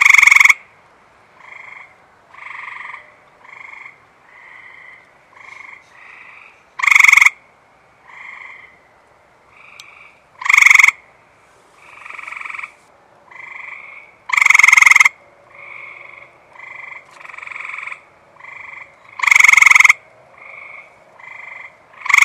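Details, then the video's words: Loud close Eastern Gray Treefrog and a large chorus of males at a reservoir on a warm, humid, post-rain night; quick bird-like pulsed trills, the near caller repeating every few seconds against constant softer calls from others. "the water reservoir behind me here has got plenty of eastern gray tree frogs just a chirping away."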